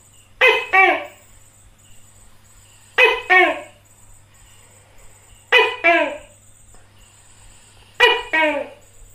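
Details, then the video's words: Phone recording of a tokay gecko feeding on crickets, filmed close up. Four evenly spaced two-note calls, each a quick bright note dropping into a lower downslurred one, sound every 2.5 seconds over a faint steady hum. "Cho Tắc Kè Ăn Dế Và Nghe Tiếng Tắc Kè Kêu"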